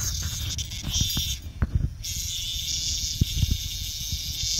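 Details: Very loud, boisterous cicada encountered by a dog named Bella on a walk: a steady, harsh, high buzz that drops out for about half a second midway, then resumes, with low thumps and rustling beneath.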